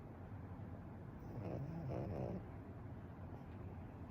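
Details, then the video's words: Pekingese snoring steadily in deep sleep: a single gravelly snore broken into two or three pulsing parts, set against a low background hum. "ペキニーズ いびき Pekingese"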